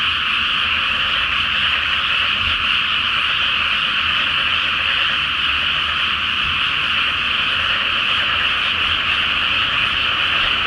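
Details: Massed frogs calling at night from a flooded rice field before planting, full moon on the water: a continuous, even chorus of overlapping croaks that never lets up, with a faint low hum below.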